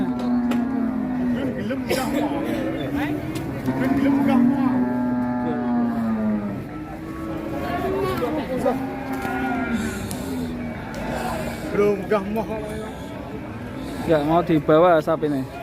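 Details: Cattle at a livestock market in Ngawi, Indonesia, being loaded onto three large trucks: long, low, steady moos with rich harmonics overlap one another, with voices and vehicle noise in the background.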